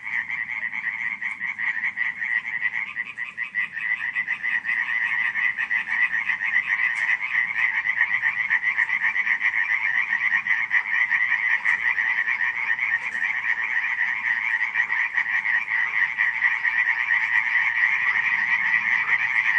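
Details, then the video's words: A July 2015 nighttime frog chorus at Radziszów: continuous massed croaking, fast rattling pulses running without pause, slightly swelling in loudness after the first few seconds. "nocne kumkanie żab"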